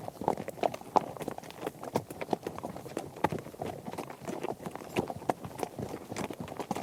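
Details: Horses moving as a herd over varied surfaces like dirt and gravel, hooves striking in uneven bursts of sharp knocks and duller thuds, with louder clusters every second or so.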